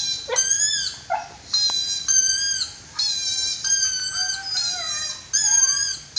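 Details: Eli, a 5-month-old white husky, gives a string of high, wavering howls, each about a second long.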